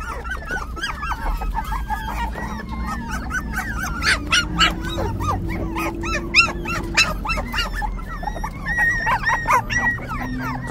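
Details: Five-week-old puppies making a dense chorus of high whimpers, squeals and yips, many short rising and falling cries overlapping rapidly throughout, with a low steady hum underneath.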